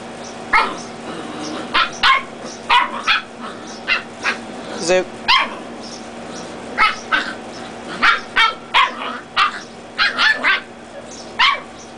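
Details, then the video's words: Dachshund puppies play-fighting, red coats against black and tan; quick high-pitched yaps and barks repeat about every half second to second through most of the stretch, over a constant low background hum. "Dachshund Reds Battle Against Black and Tans Puppies"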